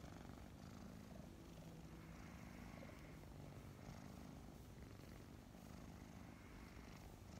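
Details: Mint and Mocha, a pair of adopted kittens around five months old, purr while cuddling in the morning, giving an even, low-pitched vibrating drone with only light rustling on top.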